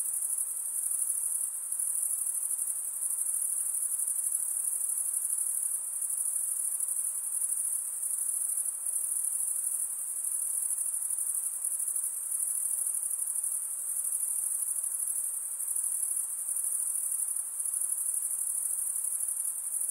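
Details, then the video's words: A long stretch of night insects, a relentless high-pitched ringing trill with fine pulsing and gentle rises and falls in volume, steady throughout over a faint hiss and no other sounds. "night insect sounds"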